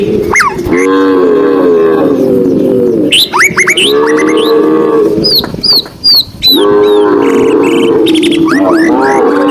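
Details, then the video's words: Herded tame cows walking through countryside on a sunny afternoon: three long bouts of low moaning moos separated by brief gaps, with quick downward bird chirps scattered between and over them. "cow sound cow Moo"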